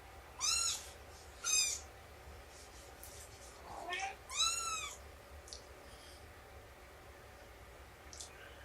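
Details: Indoor cats at nursing time with Shelby, a rescued mother of about two years, and her kittens around three months old: three clear, high, arching meows in the first five seconds, then faint softer calls over quiet room noise.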